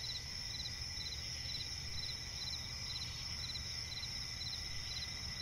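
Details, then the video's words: Night forest by a swamp with a cricket giving rapid, high chirps roughly every half second, layered over a constant shrill insect drone and a low ambient hum. "cricket chirping relaxing sound in night forest"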